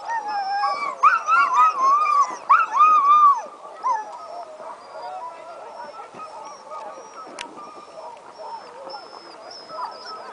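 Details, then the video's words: Excited sled dogs howling about an hour before the start of the 2010 Wolftrack Classic Sled Dog Race; a few loud wavering howls early, then a softer chorus of many distant dogs overlapping in a steady murmur. "Dogs Howling Before Start"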